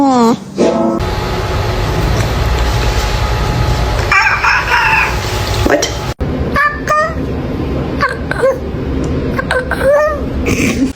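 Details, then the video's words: Cat making weird sounds: after music and speech, a run of short, bent, harmonic calls, rising then falling, repeated every half second or so, with background music continuing underneath. "Weird cat sounds"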